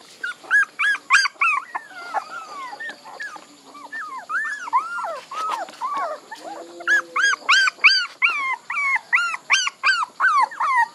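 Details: Puppies yelping in rapid, bright squeaks, each call rising then dropping. Scattered overlapping whines early on give way to an evenly spaced run of sharp yelps, roughly two or three per second.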